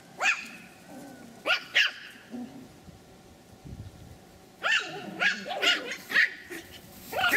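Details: Pomeranian puppies three months old, kept at a kennel in Kyiv, giving sharp high yapping barks in short bursts, a few spaced yips then a quicker cluster, with faint whines between.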